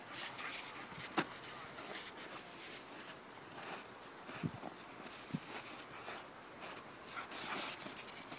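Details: Two dogs, Sam and Primo, at play, giving short scattered whimpers and soft yelps among broadband scuffling and rustling noise, with faint speech in the background.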